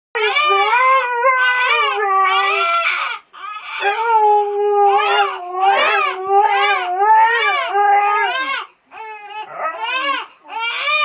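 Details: Siberian Husky howling in response to a crying baby: a long run of wavering, rising-and-falling wails in quick overlapping bursts, briefly breaking off twice, with the baby's crying mixed in.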